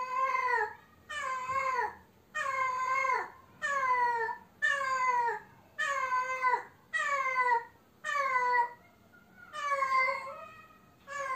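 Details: Cat without a mate yowling repeatedly: loud, harmonic meows of about one second each, arching down in pitch, repeated about every 1.2 seconds, nine calls with a longer wavering wail near the end.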